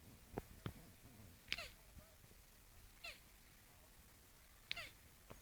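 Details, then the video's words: Turtles mating: a few short, squeaky downward-sweeping calls spaced irregularly, with soft clicks and thuds from their movement against a quiet background. "Turtles get intimate. Funny sound"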